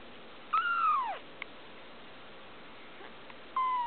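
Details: Blue Persian female kitten nearly two weeks old, giving a thin high mew that rises then falls, a short pause, then a second mew starting, in a quiet room.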